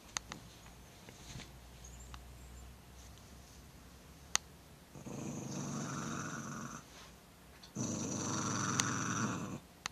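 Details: Italian Greyhound growling when threatened by a person's finger: two sustained, rough, noisy growls of about two seconds each, separated by a short pause, with faint room sounds and a few clicks between.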